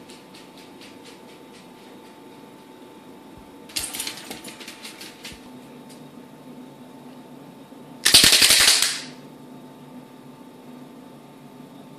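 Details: Indoor room with a steady hum, a run of rapid claps, then a loud burst of fast clapping near the end.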